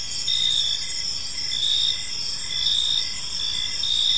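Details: Crickets chirping on an evening in a peaceful park: a dense, steady high-pitched chorus of overlapping trills, with regular pulsed chirps repeating underneath, no other clear sounds.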